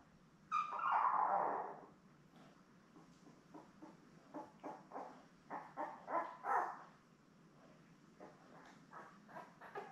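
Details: Newborn Labrador Retriever puppies with their mother Belle, a litter of seven born May 24, 2021, on a live puppy cam; one long wavering whine, then a run of short squeaks and whimpers at an uneven pace.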